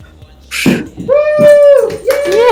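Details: Siberian husky female singing at her birthday surprise indoors: a rustle, then a steady, clear howled note held about a second, followed by a shorter rising and falling woo, with cheering voices and music around.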